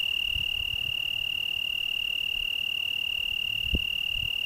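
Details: Italian tree cricket, Algarve, Portugal, on a June 2010 evening, trilling in one unbroken high, pure, ringing tone throughout, unusually continuous compared with the shorter song phrases of this insect in southern Alentejo; a soft knock near the end.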